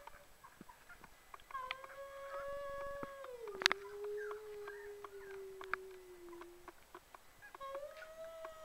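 An Australian Shepherd puppy howls in long, sustained tones that waver and slide downward.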